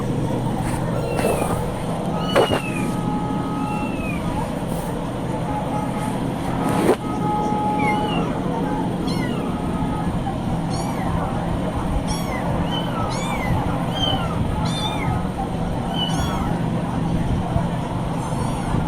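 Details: Kittens meowing: a series of short, high, arching mews scattered through the recording, with people talking, brief music and a steady low rumble underneath.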